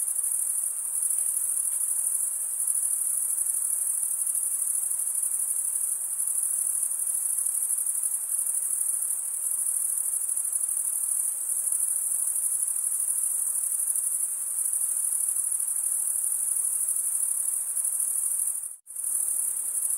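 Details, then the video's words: Male crickets stridulating, rubbing a toothed wing vein against the other wing, make a dense, unbroken high-pitched trill that holds steady, cut by one brief silent gap near the end; no other sounds. "Most relaxing cricket sound"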